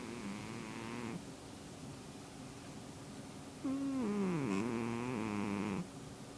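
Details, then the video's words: Domestic cat snoring in its sleep, two long wheezy, whistle-like breaths about a second and two seconds long, the second dipping then levelling off, over a low steady background hum. "cat snores"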